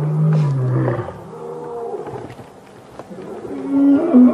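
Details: Wild male lion roaring on 5 August 2015 as the BB coalition challenges the Matimba males in an attempted pride takeover; a long low drawn-out moan opens, followed by quieter rumbling grunts and a second rising moan near the end.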